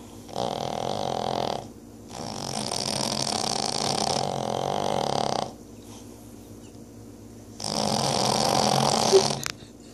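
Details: Two deaf Boston Terrier sisters snore in long, rasping, broadband breaths separated by quiet pauses.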